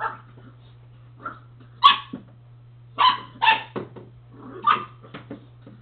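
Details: Pet dog playing with his ball: short, sharp barks and yips in irregular bursts, about five loud ones, over a steady low electrical hum.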